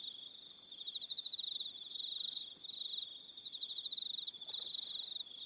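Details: Several crickets trill in the New Zealand evening on Aroha Island, their shrill pulsed calls rising and falling in rough waves about every second, with a faint higher whistle in the background.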